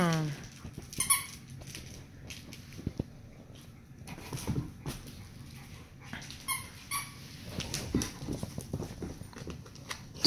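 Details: Labrador named Eddie teasing a Dachshund indoors at home; short high squeaky whimpers and yelps come in scattered bursts over scuffling paws and thumps, with a woman talking in the background.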